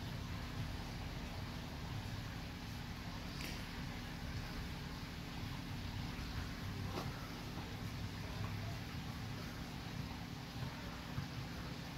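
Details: A steady low hum like a fan or engine fills the room, broken only by two faint clicks, with no animal voice heard.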